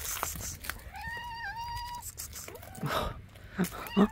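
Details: Mother street cat meowing as she leads a person toward her hidden kittens; one drawn-out tonal meow of about a second, steady then dipping slightly, followed by rustling and soft thumps nearby.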